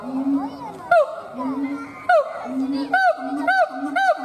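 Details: Siamang gibbon howling: steady low booming notes alternating with sharp, ringing, downward-swooping barks that come in a regular series toward the end, about every half second.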